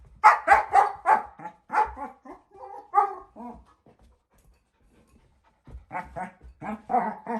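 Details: A 4-month-old female German Shepherd puppy plays with her bowl, giving rapid, yappy barks and whiny grumbles in quick bursts.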